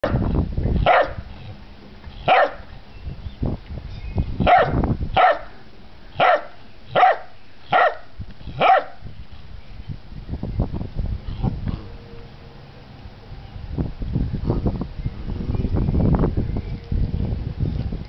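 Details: Bernese Mountain Dog puppies almost nine weeks old bark in a run of eight evenly spaced yips over the first nine seconds, followed by scuffling, panting and rustling noise.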